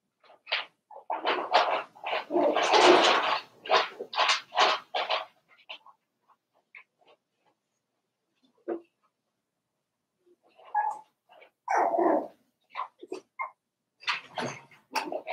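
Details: A litter of four-week-old Cavalier King Charles Spaniel puppies in their pen produces a dense run of rapid yelps and whines, followed by a lull, then more scattered high squeals and yips.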